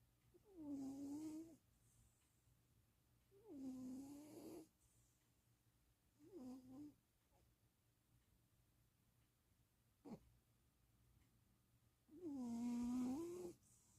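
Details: Domestic cat asleep indoors in Austin, Texas, giving four drawn-out snoring breaths, each a grating, slightly rising and falling drone of one to two seconds, separated by quiet pauses and a single brief tap.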